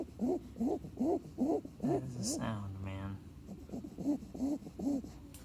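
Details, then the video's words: Snoring puppy in sleep gives rhythmic rising-falling squeaky breaths, briefly interrupted midway by a low drawn-out human voice before the squeaks resume more softly. "Puppy snores!"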